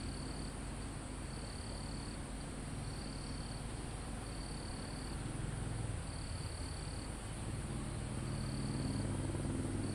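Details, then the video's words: Crickets in a calm forest almost at the top of a mountain, recorded live: high pulsed trills in bursts of about half a second to a second, repeating every second or two over a constant low rumble and hiss of wind in foliage. "Crickets, Insects Sound"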